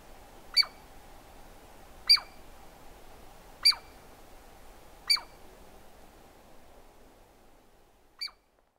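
A Douglas squirrel gives sharp, high, squeaky calls, repeated about every one and a half seconds.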